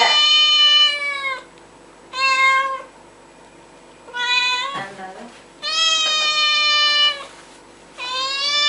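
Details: Domestic cat meowing loudly and insistently: five long, bright, slightly falling meows separated by pauses of about a second, with a brief human voice between them.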